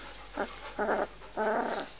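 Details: Amy's two-week-old puppies, recorded May 1, 2009, give three short whiny squeals with stacked overtones, each under half a second and spaced by brief pauses, over a faint steady background hum.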